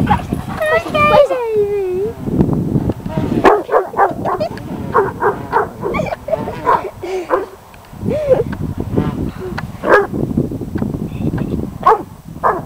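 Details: A Weimaraner, rarely a barker, unsure of a stunt kite at a local park, gives a whiny, wavering yelp and then a run of sharp, uneven barks while a person talks.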